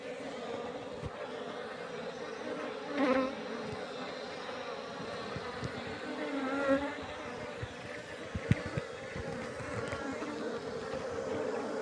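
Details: Honey bees humming in a steady low drone with a few louder swells, soft background noise throughout.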